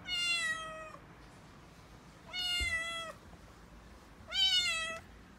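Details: Calico kitten Mikene, a six-month-old female in Okinawa, panicking and crying as delivery men bring in a new refrigerator. Three drawn-out, richly harmonic meows, each under a second, about two seconds apart, over a quiet indoor background.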